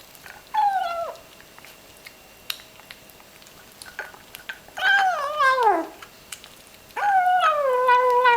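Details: Little ginger kitten murmuring while it eats its food: three whiny, arched mews spread over several seconds, the middle one longest and falling steeply, with soft chewing clicks in the quiet gaps.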